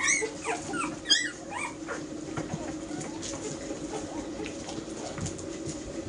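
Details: Ten-week-old Airedale Terrier puppies of a single litter produce a burst of thin, upward-sweeping yips and whines in the first second and a half, then fainter scattered whimpers over a constant background hum.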